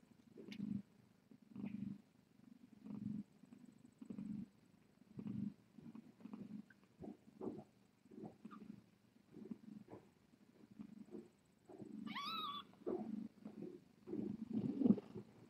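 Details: Soft, rhythmic purring from a cat on the Tiny Kittens Society live-stream cam at night, low throbbing bursts repeating about once a second, with a brief higher mew-like sound near the twelfth second.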